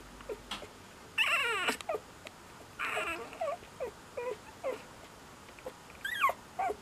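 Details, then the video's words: Young Cocker Spaniel pup whining and squeaking, with two longer, strained, wavering cries mixed with short high peeps and a final quick series of bent squeaks, set against a faint background hiss. "Squeaky Cocker Baby"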